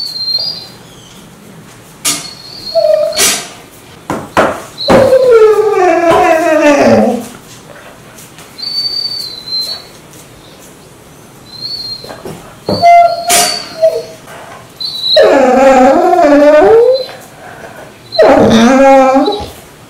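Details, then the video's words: Indoor dog Mansu rouses its owner every morning with odd vocalizations, heard here as several separate howling whines that slide downward, with gaps and sharp clicks between them. "아침마다 알수없는 소리를내며 주인을 깨우는 강아지"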